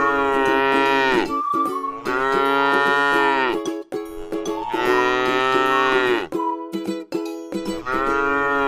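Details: Tame cow grazing on grass in a rice field: a series of long, rich harmonic moos, each sliding down at the end, separated by short breaks, with faint steady tonal notes in the background.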